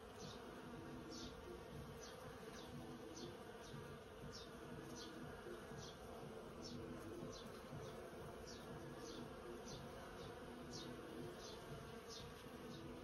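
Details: About 100 bees hum in a persimmon tree, a thick, continuous, low and steady drone with a rough, throbbing texture, while short, high, regularly repeated chirps sound faintly in the background throughout.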